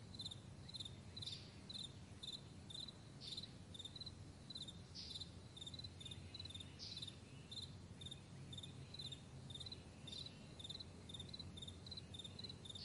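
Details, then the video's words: Morning meadow crickets keep up a steady chain of high, clicking chirps, about two per second, over a constant low background hum and occasional brighter swishes. "Morning Crickets"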